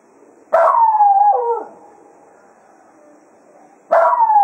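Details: Cato, a Jack Russell Terrier, serenades the hounds farewell at Quail Roost as a day of foxhunting ends: a loud wavering howl sliding downward over about a second, then a quiet pause before another howl begins.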